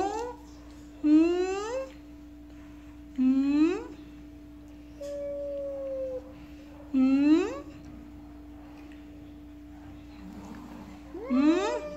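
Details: Four loud upward-sweeping yowls from a jealous cat, spaced about two to three seconds apart, with a softer held tone between them, all over a steady background hum.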